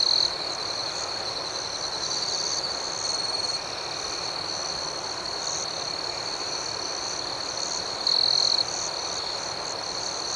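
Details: Night-time crickets form a continuous high, ringing chorus; a nearer insect breaks in with a short loud trill at the start and again around eight seconds, over a constant pulsing background.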